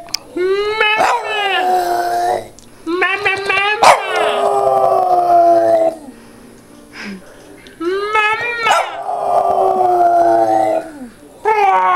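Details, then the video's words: Pet Boston Terrier singing to its owner in repeated bouts: each starts with a rising yelp that slides into a long wavering howl, about three bouts separated by quiet pauses, with speech likely mixed in. "boston terrier singing to his mommaa :)"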